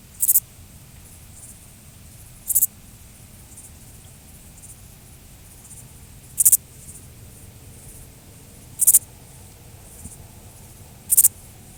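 A grasshopper gives brief, dry, high-pitched buzzy rasps spaced a few seconds apart.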